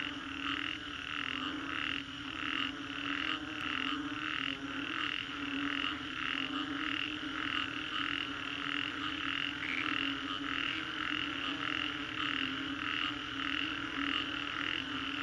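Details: Frogs in the Green Corridor, Singapore, chorusing after a storm; rhythmic pulsed croaks repeat about every second in regular bursts, layered over a constant buzzing background.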